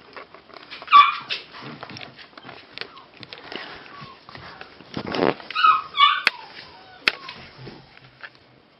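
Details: Frisky puppies playing: scattered high squeaky yelps and whimpers, a short burst of yips near the end, with a woman calling and praising them in Russian and rustling movement throughout.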